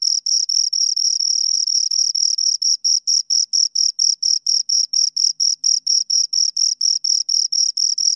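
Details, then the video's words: Close-up chirping of two crickets, a high, metallic pulsed trill with a short run of near-continuous sound early on, then steady rapid chirps; silent background. "Two Crickets Chirp Sounds"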